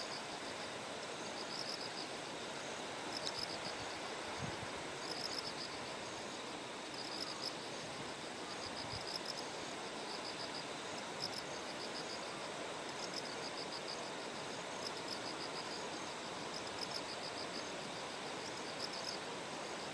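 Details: Terraced rice fields of Kikuchi, Kumamoto, Japan, on a calm morning before Typhoon No. 10 (6 September): a bell cricket gives repeated high, tinkling pulse trains in short phrases, set against constant rushing water and a couple of faint low thuds.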